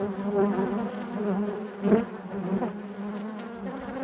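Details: Honey bees buzzing inside their hive: a dense, steady hum centred low with stacked harmonic bands, swelling briefly near the two-second mark and otherwise continuous, with no other sounds.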